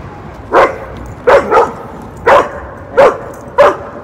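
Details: Myllie, an aggressive three-year-old German Shepherd that barks and lunges at other dogs, in training in New Hampshire: five sharp, loud barks spaced roughly half a second to a second apart, one doubled, over faint background music.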